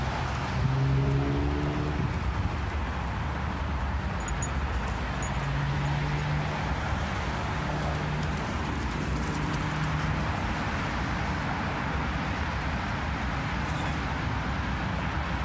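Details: Basenji at a park vocalizing to another dog: drawn-out, wavering, yodel-like tones come in several bursts, some rising and falling, over loud continuous traffic rumble.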